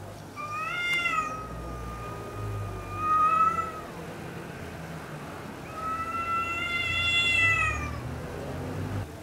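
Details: A red male cat defending its territory on Spetses, Greece, gives two long, drawn-out meows, the first steady and slightly falling, the second rising then falling, with a low background rumble between them.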